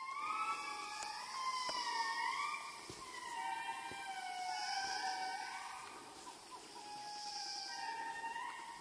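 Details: Indris, the largest lemurs, in Madagascar: loud wailing tones that swoop and glide between rising and falling notes, several voices overlapping in a chorus, over a steady high hiss of insects.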